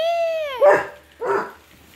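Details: A pet basset hound gives a drawn-out tonal cry that holds level and then slides downward, followed by two short, rough bark-like bursts in a small room.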